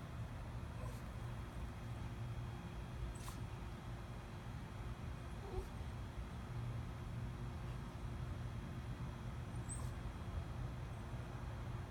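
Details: Steady low rumble like distant traffic, with a few faint scattered clicks and no clear animal voice.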